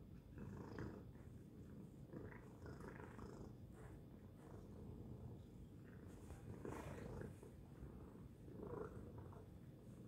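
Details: Domestic cat named Tacy purring loudly, a deep steady vibrating hum swelling slightly in waves, light rustling touches scattered through.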